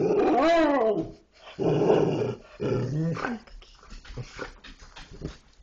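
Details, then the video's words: Dogs 'talking', opening with an arched, tonal howl-like call, then two rough growls and quieter trailing grumbles. "dogs talking"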